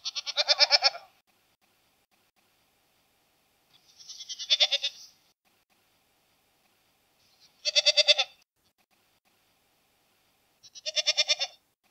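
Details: Four wavering, nasal goat bleats spaced roughly three seconds apart, each with a rapid vibrato flutter and a short rising onset; nothing else audible between calls.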